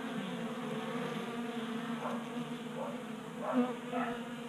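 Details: Honey bees drinking at a 3D-printed feeder in a Colorado garage in unseasonable January warmth; humming swarm drone with several short rising buzzes of individual bees flying close, the loudest near the end.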